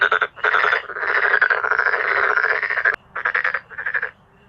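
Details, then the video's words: Male black-spotted pond frogs croaking in a dramatic group chorus; short rattling bursts lead into a sustained two-second pulsed croak, followed by a few shorter rattles. "참개구리의 떼창"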